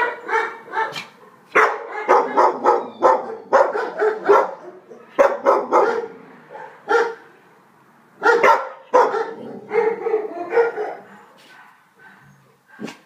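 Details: Five-month-old female Alsatian puppy, found stray near Weymouth and offered for rehoming, barks repeatedly in fast, uneven volleys, short yelping barks running together before brief pauses, tailing off into scattered single barks.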